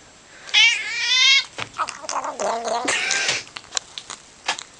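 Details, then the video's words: Domestic cat making strange noises while being petted: a high, harmonic-rich meow lasting about a second, then a series of lower, wavering, throaty yowls and short broken cries. "Cat Makes Crazy Noise When Petted"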